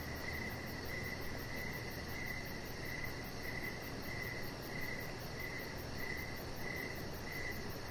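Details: Evening crickets by an outdoor deck, high chirps clustered into bursts roughly every three-quarters of a second, about ten bursts in a row, above a low steady hum and faint high insect buzz.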